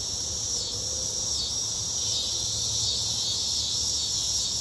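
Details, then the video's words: Cicadas singing in summer: a dense, unbroken shrill buzz held at a very high pitch, steady in loudness throughout, with a faint low rumble beneath. "Summer sounds - cicadas singing."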